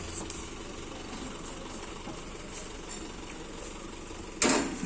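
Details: Outdoor engine idling and background murmur, ending with a sudden loud broadband burst; no animal voice is heard.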